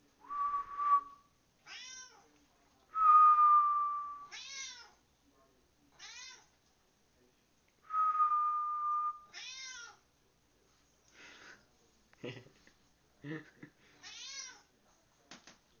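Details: Turtle, a pet cat, meowing back as someone whistles to him indoors; steady whistled tones alternate with the cat's repeated meows, each a short wavering cry, about five in fifteen seconds, plus a few clicks and soft noises.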